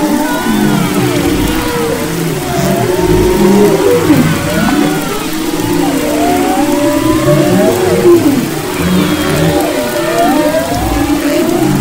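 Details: Humpback whales singing off Maui's west coast in February 2011, many curving whistled sweeps and wavering moans overlapping one another above a steady low rumble.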